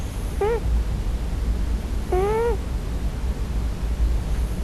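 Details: Scottish Fold tomcat on his first night, dreaming and crying for his mother: a short bent mew followed about two seconds later by a longer, rising-then-dropping harmonic cry, with low background rumble.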